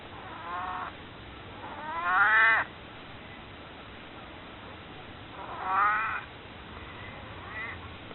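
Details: Maru, a pet cat nearly 22 years old, recorded before its death, meowing to ask to be held: four drawn-out, harmonic meows, the second loudest and rising then falling, spaced irregularly over eight seconds in a quiet room.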